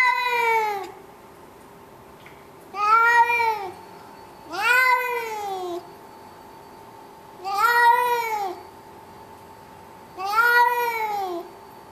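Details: Domestic cat, a male, wailing about the carrier ahead of a vet appointment, 19 September 2011, indoors in a condo; five loud, bowed, harmonic meows spaced two to three seconds apart, with a faint continuous hum beneath.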